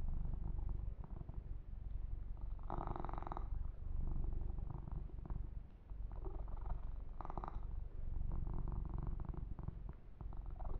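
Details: Low, pulsing purr from Yumak, a male kitten, being massaged and groomed, recorded close to the microphone; two short bursts of brushing or rubbing noise interrupt the steady rumble.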